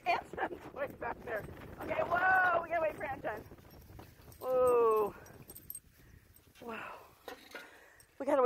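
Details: Alaskan Malamute Tonka by a river while pulling a beach bike, letting out several talkative yowls: a wavering mid-pitched moan, then a loud sustained level howl, followed by shorter chirpy bursts with quiet gaps between.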